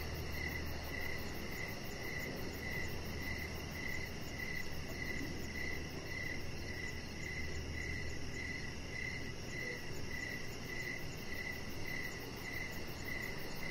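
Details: Crickets sing outside on an evening deck, their clear, high-pitched chirps coming in a regular beat about every half second. Behind them sit a faint, rapid, very high pulsing and a low, even noise floor.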